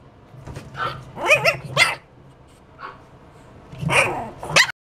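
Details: Pug giving a run of sharp, rough barks in quick bursts, a softer yip in the middle, then two more loud barks at the end, over faint low hum.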